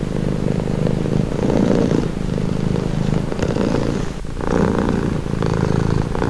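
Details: Close purring from a cat, a low vibrating rumble rising and falling in gentle breath-timed waves, with a brief soft dip near the end.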